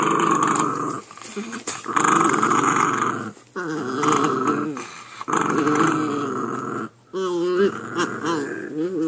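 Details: Two puppies fighting indoors over who gets a chew: nearly continuous loud, rough growling with brief breaks, ending in wavering whiny yelps, with faint human voices in the background.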